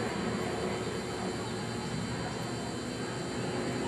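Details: Continuous broadband engine-like roar with a steady hum and no howling or other animal sound audible.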